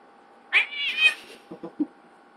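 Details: Pet cats Ziggy and Chino in a cat fight: one sharp, strained caterwaul rising then held for about a second, followed by three short, low grunting sounds, all indoors and close.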